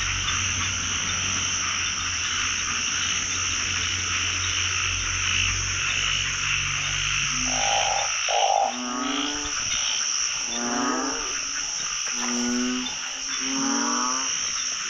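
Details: Narrow-mouthed frog chorus filling a pond during the first catch of the year. A continuous rasping din gives way after about eight seconds to louder, nearby pulsed croaks, each a short rattling burst repeated every second or two.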